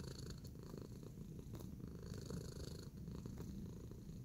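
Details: Pet cat purring while kneading in a relaxed state: an even, low, throbbing drone held for the full few seconds, gentle in volume, with light scattered clicks over the top.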